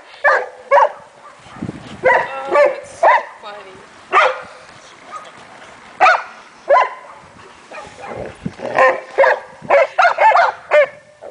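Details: Leonbergers Emma, Kramer, Arnie and Heidi wrestle with the rest of their pack, giving scattered sharp barks and gruff growly yelps in irregular bursts, some doubled, with short pauses between.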